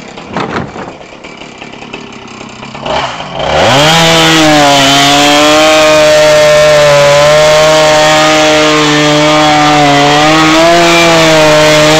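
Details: A few seconds of handling knocks give way to a loud chainsaw that roars to life and keeps up a steady, slightly wavering engine whine, with no animal sounds.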